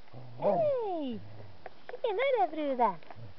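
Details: Puppies playing outside in autumn give drawn-out whining yelps that slide downward in pitch, two long falling cries followed by a cluster of shorter wavering whines, with soft low background rumble.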